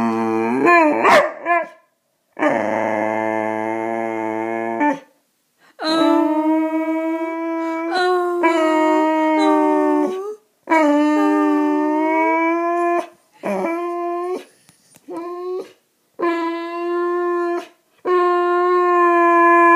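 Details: Feeling ignored, Riley the male Boxer keeps up a run of loud howling whines and moaning yowls, some wavering, some sliding up or down, in quick irregular bursts with brief pauses throughout.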